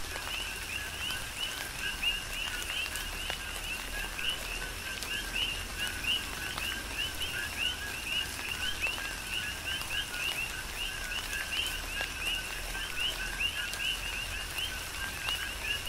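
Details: Tropical rain falling on the Big Island, Hawaii, with a rhythmic chorus of coqui frogs: countless repeated two-note calls, a short low note and a higher rising chirp, layered without pause amid constant rain and dripping.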